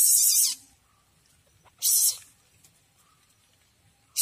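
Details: A young Asian palm civet that came into a house gives harsh, breathy hisses, each about half a second long, separated by pauses.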